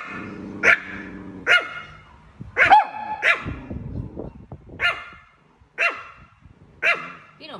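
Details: Chihuahua barking at a cat, single sharp high barks spaced about a second apart over a woman's gentle Thai speech.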